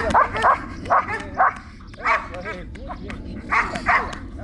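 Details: Trueno, a Belgian Malinois in protection training at Zumpango, State of Mexico, gives loud clipped barks in short pairs with brief pauses between bursts, while a handler talks in Spanish in the background.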